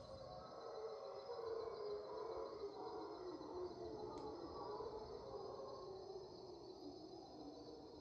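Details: Raucous dawn chorus of mantled howler monkeys, 5am in Panamanian rainforest, March 8, 2023: continuous throaty roaring in overlapping waves that swell and fade, with a persistent insect drone above.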